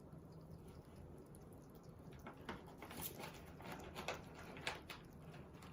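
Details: Pet hedgehog kept indoors in Japan, eating. After a quiet start, crisp irregular crunches and clicks come in bursts, with a low room hum behind.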